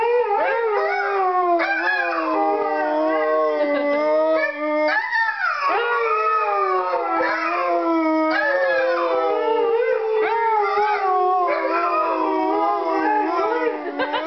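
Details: Snow dog puppies howling in chorus, a dense continuous layer of long, wavering tones with several voices overlapping and slowly sliding up and down, a steady unbroken sound for the whole stretch.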